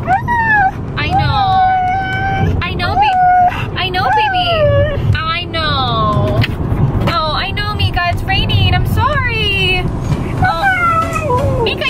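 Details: Meeka, a female Siberian Husky, in a car on a rainy day on the way to the groomers, yelling in long wavering, rising and falling whines and yodels, while people talk to her over low road rumble.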